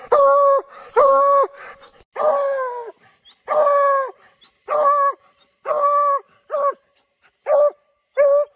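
Bluetick Coonhounds bawling their deep, drawn-out tree bark, repeated roughly every second.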